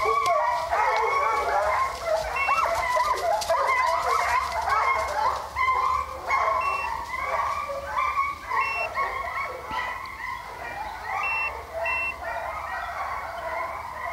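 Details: Pack of hunting hounds running deer at St Helena, South Carolina, kept by HomeGrown Kennels, in full cry: a dense, continuous chorus of overlapping bawling bays and yelps about twice a second, loud throughout.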